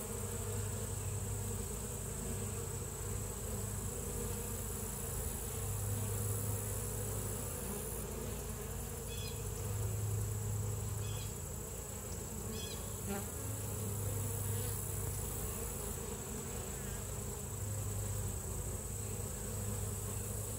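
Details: Western honey bee. Honey bees fill the air with a dense, low, continuous drone that swells and fades slightly. Scattered brief clicks and ticks sound above the hum.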